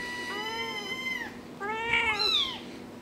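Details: Four-week-old kittens meowing: overlapping high, harmonic mews, some level and some arching, with several voices heard together in quick succession over about three seconds, in a quiet indoor setting.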